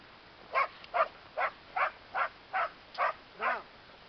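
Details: Border Collie bitch named Brahma at work, barking in a steady series of eight sharp barks about every half second, the last one slightly drawn out and falling; quiet background otherwise.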